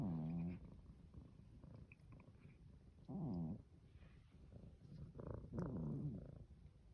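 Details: A sleeping Norwegian Forest cat snoring: three low, buzzy, harmonic snores about two to three seconds apart, each lasting roughly half a second, with soft rumbling breath between them.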